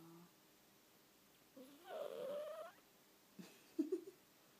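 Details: Domestic cat, female, vocalizing in her sleep: one drawn-out wavering whine with a nasal tone, then a couple of short squeaky chirps, in a hushed indoor setting.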